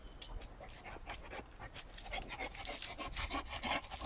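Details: A Shar Pei pants steadily, breathy hissing puffs coming roughly three times a second and growing slightly louder toward the end, with a constant low electrical hum underneath.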